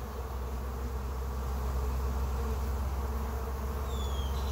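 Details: Honey bees on the first day of a trap-out: a steady, dense droning hum with layered low tones holds throughout, over a deep background rumble, with two faint thin upward streaks near the end.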